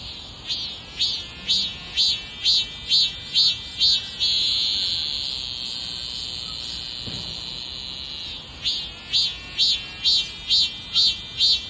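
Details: Cicada calling loudly: rapid pulsed buzzy phrases repeated about twice a second, merging into a long sustained shrill drone for about four seconds, then returning to the pulsed rhythm.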